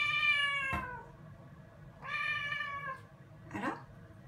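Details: Rescued black-and-white female cat in a bathroom at bath time, waiting on the bath lid and talking to her owner: three meows, the first two drawn-out and harmonic, the last short and rough, with steady room hum.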